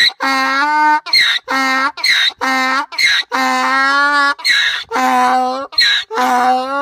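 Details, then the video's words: Donkey braying: sustained, harmonic-rich droning tones alternate with short, breathy, noisy gasps in a repeated see-saw rhythm, each tone lasting about half a second to a second. "Donkey braying"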